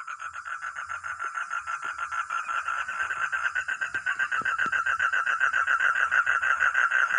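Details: A frog or toad gives a fast, steady run of rattling, pulsed croaks that carries on without a break. Finding: Frog.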